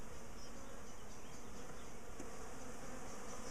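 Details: A big garden colony in a top bar hive, feisty and prone to chasing people, drones loudly as it is broken up for moving. A continuous low buzz of massed bees carries through with little variation.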